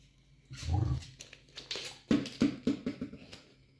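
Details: Cardigan Welsh Corgi inviting play with a ball indoors, 3 November 2022: a low grumbling growl-like sound, then five quick, evenly spaced short barks over about a second, amid small-room shuffling noises.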